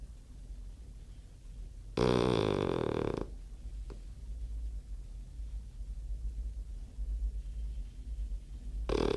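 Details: Snoring French bulldog gives one loud, rough, grunting snore lasting just over a second, followed by quiet breathing and the start of another snore at the end, in a small quiet room.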